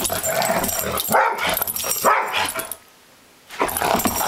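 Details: Two dogs, a German Shorthaired Pointer and a three-legged companion, fighting playfully over a squeaky duck toy, with quick harsh barks and growly grumbles, a brief pause, then more scuffling noise.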